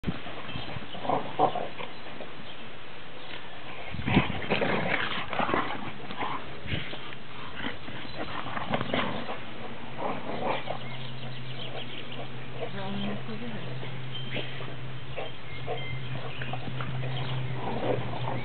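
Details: Boxer dogs Oliver z Ringu and Cassius Clay "Rocky" of Kett Box, recorded 2010-06-06: short bursts of dog noises amid scuffling, plus a steady low hum in the second half.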